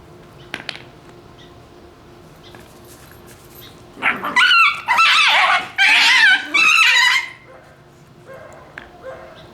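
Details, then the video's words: Shiba Inu puppies squabbling playfully over a bone give four harsh, loud fox-like screaming bursts in a row, each about half a second, after a quiet start with faint clicks. "Shiba Inu puppies act like foxes with strange scream sounds"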